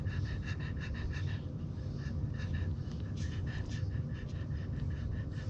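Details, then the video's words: Day-old French Bulldog puppies nursing on their sleeping mother, making quick repeated wet suckling clicks and snorts in steady runs against a constant deep background hum. "24 Hours Old French Bulldog Puppies Nursing Milk Out Sleeping Mommy"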